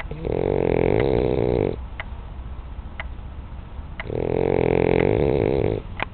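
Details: Sleeping French bulldog Janinka gives two drawn-out, buzzy snores lasting nearly two seconds each, separated by a short quiet pause with soft ticking sounds.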